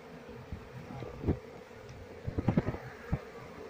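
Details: Wild Asian honey bees (Apis cerana), a colony being moved into a hive box while the keeper searches for the queen; a low, steady humming buzz throughout, broken by scattered knocks and clicks from handling.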